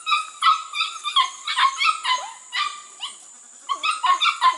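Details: Border Collie pups aged six to eight weeks, from two ABCA-registered litters bred from cattle lines, on goats for their first time in 2019, giving a dense run of overlapping squeaky yelps and short whines.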